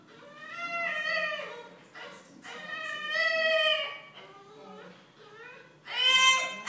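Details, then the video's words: A French Bulldog left alone gives long, wavering, drawn-out howling whines, rising and falling in pitch, with a TV show talking in the background. "Funniest Dog Bark Ever! Try Not To Laugh!"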